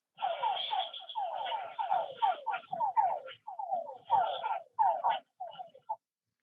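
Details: A chaotic rainy-season chorus of male frogs gathered at small pools gives overlapping, whining advertisement calls that sweep downward, calling to attract females, who choose among the males.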